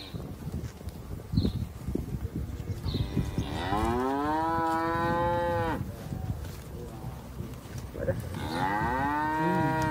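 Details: A young calf, tame and close to its owner in the countryside, lets out two drawn-out moos, the first around four seconds long, the second starting near the end, over clattering background noise.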